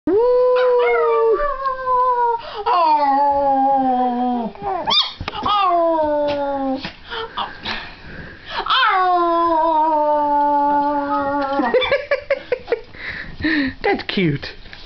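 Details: Pet dog howling together with a girl, January 2007: long sliding howls that start high and fall, several drawn-out notes each lasting two to three seconds, with a human voice howling along.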